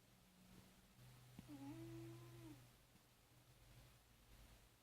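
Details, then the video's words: Ten-year-old male British Shorthair snoring in deep sleep indoors: one soft, whistled nasal tone holding level for about a second, over a steady low hum. "My cat is snoring"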